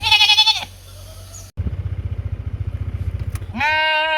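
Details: Sheep on a mountain calling companions to come and eat: a short harmonic bleat opens, a steady pulsing engine-like rumble fills the middle, then another bleat begins at the end.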